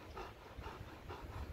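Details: Hoarse, hissing breaths from a German Shepherd out of breath during ring play, morning temperature around 20 degrees; steady panting at about two breaths per second, close and unbroken by other sounds.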